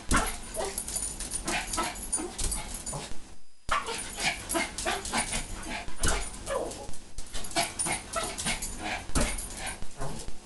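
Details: Excited pet Pomeranian Ginny, leaping as someone says she has good food for a good dog, gives clustered yips and whines over scuffling paws, with a short pause partway through.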